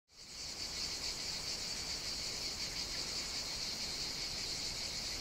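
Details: A steady, dense cicada chorus buzzes continuously with a high, shimmering drone on a hot summer day on the Greek island of Evia in the Mediterranean.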